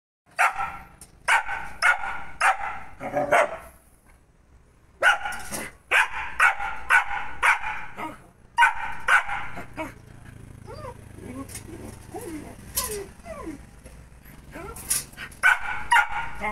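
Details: Angry German Shepherd puppy barking in bursts of sharp, rapid barks, roughly two per second, with pauses between runs and a stretch of whining, squeaky yelps in the middle.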